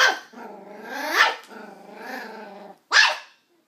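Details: Nine-week-old West Highland white terrier puppy barking at an empty coke bottle: sharp high yaps broken by long, low harmonic growls, with one clear yap near the end.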